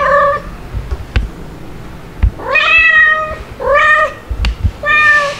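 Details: Playful domestic kittens, white dalmatian-spotted Stuart and black Lunar, with mother cats Mel and Pepper, filmed July 2022: four clear, tonal meows, some sliding upward then holding steady, separated by soft thumps and clicks of handling.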